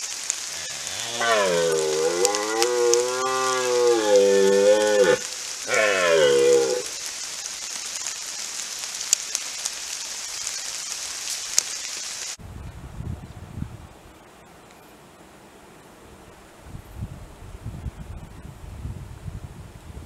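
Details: A red deer stag gives a deep, drawn-out roar and a second shorter bellow during the 2021 rut, with several stags present and fighting.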